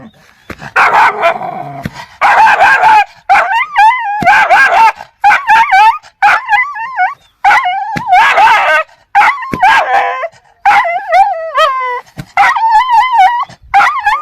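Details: Angry dogs barking aggressively, continuous overlapping harsh barks and high wavering yelps and howl-like whines, with barely any pause.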